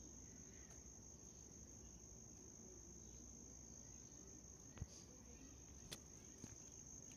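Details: White cricket trilling in one steady, high, ringing tone, broken by a couple of sharp clicks near the end over faint hiss.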